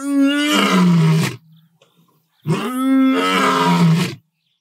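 A lion gives two long, deep roars, each a rich moaning sound that slides lower in pitch.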